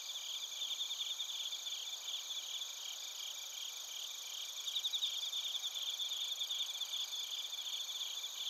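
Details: Crickets, including bell crickets, sing in Narita, Chiba Prefecture, Japan, recorded on a TASCAM Portacapture X8. Overlapping high trills pulse continuously, and a closer sweet trill stands out in the second half above steady thin ringing tones.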